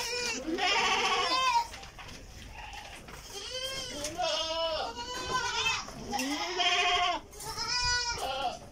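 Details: Farm goats in Karnataka, India, at a feed tray calling in a steady series of quavering, nasal bleats, several overlapping, some rising then falling, with brief gaps between bursts.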